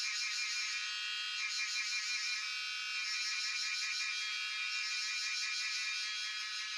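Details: Jhyaukiri cicadas at Shivapuri National Park near Tarkeshwor, captured by cellphone, fill the air with a steady shrill buzz, rapidly pulsed and layered, holding an even loudness throughout.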